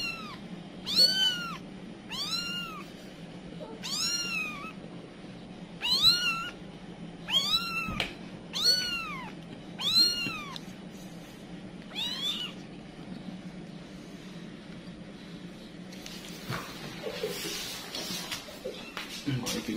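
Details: Kitty, a village cat, panics as her kittens scatter, giving loud repeated meows that rise and fall in arched, harmonic-rich calls, about nine in twelve seconds, then stops as rustling noise takes over.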